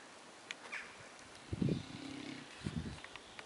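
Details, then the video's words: Mastiff dog snoring while sleeping with his eyes open: a short rough low snore with a buzzy drawn-out tail, followed by a second brief rumbling snort. "cutest dog (mastiff) snore with his eyes open"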